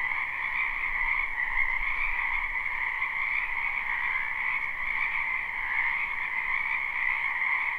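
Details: Many frogs croak together in a spring wetland behind a house, captured live without looping: a dense, steady chorus of overlapping rasping calls in two bright pitch bands, with soft low rumble underneath.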